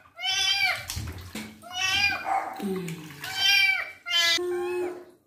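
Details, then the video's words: During his first bath and wound cleaning, the kitten Twinkle gives three or four drawn-out, falling meows. A person speaks softly in a low voice between the cries, and water noise sounds in the background. "KITTEN'S FIRST BATH, CLEANING HIS WOUNDS AND HE MEOWS A LOT"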